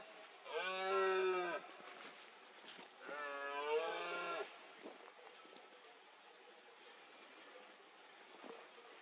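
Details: Rutting red deer stag in Cantabria, 2022, calling through fog during the berrea: two strong, moaning roars about a second each, a short gap between, then faint roars in the distance over a quiet background.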